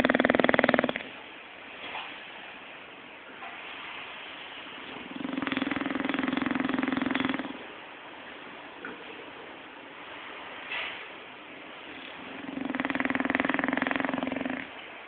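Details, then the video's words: Sleeping and dreaming, the bulldog Zé gives three drawn-out, raspy snores, each one to two seconds long and spaced about five to six seconds apart, with faint breathing noises in between indoors. "Bulldog Roncando"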